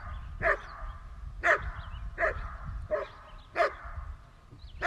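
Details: Barking from a dog kept with a German Shepherd and a Newfoundland: six loud, clipped woofs at a steady pace of roughly one per second, each a short punchy burst, over a faint low hum.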